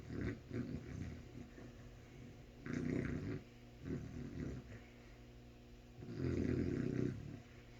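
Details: A sleeping dog snoring: rough, low rumbling breaths in uneven bursts about a second long, separated by quieter pauses, with the loudest snore near the end.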